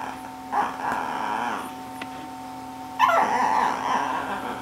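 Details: Shih Tzu dog giving short yipping, whining vocal bursts, one near the half-second mark and a louder, longer one after three seconds, over a steady electrical hum.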